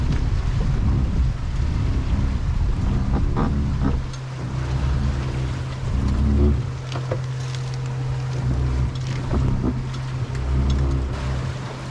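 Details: Steady low boat rumble with wind buffeting the microphone and waves, no animal calls audible.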